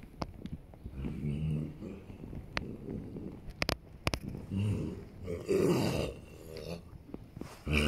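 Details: Low, growly groaning from a Holsteiner horse as it rolls, in drawn-out pulsing stretches mixed with sharp clicks and rubbing sounds, swelling louder toward the end.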